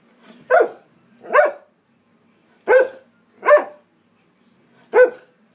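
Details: Argumentative Alaskan Malamute "talking": five short woofing, vowel-like calls with bright harmonic tone, each under half a second, spaced irregularly with brief gaps of silence between them.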